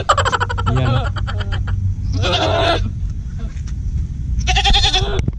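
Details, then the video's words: Male domestic goat in a large herd pursuing a female to mate; harsh, raspy bleats in three bursts, the first stuttering and broken, with low rumbling vehicle noise beneath. "ganito pala mag asawa ang kambing"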